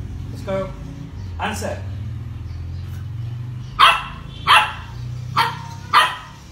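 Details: Dog barking on cue to answer math questions during a trick session: after a man's voice praising it, four short, sharp barks come about every three quarters of a second in the second half.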